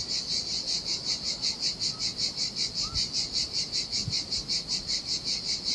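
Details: Cicada chorus in the heat by the turquoise sea on a deserted beach in Sardinia, a shrill rasping buzz pulsing evenly almost three times a second, over a faint low hiss of waves and a couple of soft thuds.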